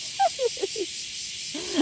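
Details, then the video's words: Kuliglig, cicada or cricket, in Aikawa, Osaka: an unbroken shrill, high buzzing drone fills the background. In front of it come several short, lower, chirpy falling notes early on, then another brief cluster near the end. "Pakinggan niyo na lang po yung kuliglig."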